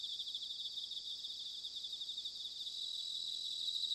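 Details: Bell crickets in autumn, Sanuki, Chiba Prefecture, Japan: unbroken high-pitched trilling from numerous insects, with a thin sustained whistle-like note joining near the end and the chorus swelling slightly.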